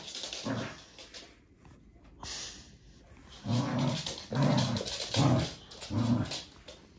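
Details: A Corgi gives a series of low, throaty growling bursts, about four in the last half, spaced under a second apart, after a quieter start. A steady hiss runs underneath.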